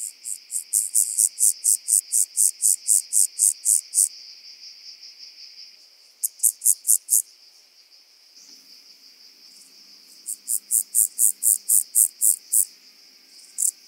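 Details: Rock-dwelling grasshopper singing on the Croatian island of Cres, 13 July 2022: three phrases of quick, high-pitched pulsed chirps, the first long, the second short, the third rising in loudness, separated by quiet gaps with background hiss.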